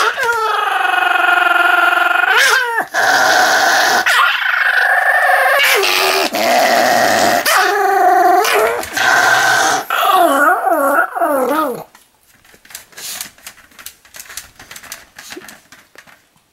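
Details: A Pomeranian on a rampage produces long, loud, strained snarls and whining growls with wobbling pitch for about twelve seconds, then falls to soft rapid clicking and scuffling.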